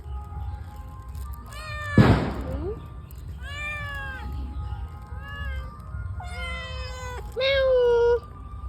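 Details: A fish-loving pet cat gives repeated short, arched meows while someone coaxes it with fish in Bengali. A loud thump and a brief steady tone are also heard.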